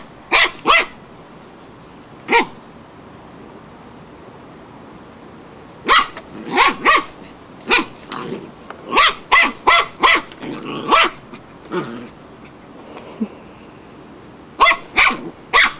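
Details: Wire-haired fox terrier going barking mad at a flowerpot: sharp, high, explosive barks fire in quick runs and pairs, with short pauses between bursts and a quiet background.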